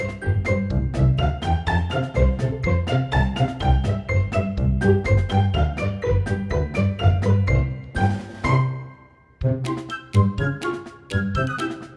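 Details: Bouncy, playful background music with tinkling chimes and a steady bass pulse, pausing briefly near the end, with no animal heard.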